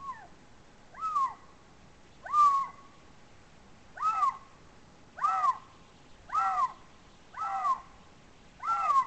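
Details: Eurasian lynx giving its mating call, caught by a monitoring camera in a forest of the Țarcu Mountains, Romania, during the March–April mating season; loud arched wailing calls, rising then falling, repeated about every second, seven in a row.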